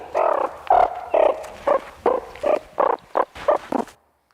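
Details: Meerkat close calls from ten different individuals, the frequent call given every few seconds while a group forages; about nine short, harmonic, nasal calls in quick succession, each differing slightly in pitch and length, played back at a research conference.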